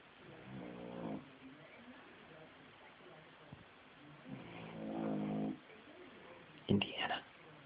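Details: Lady Indiana, a puppy asleep in the basement, gives two rasping snores a few seconds apart, each a low, droning, buzzy breath lasting about a second, followed by a brief human voice at the end.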